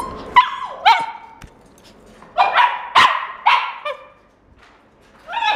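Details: Male Shiba puppy, red coat, born 27 September 2016, at a pet shop, giving short yipping barks in bursts, some with whining falling tails, separated by brief pauses.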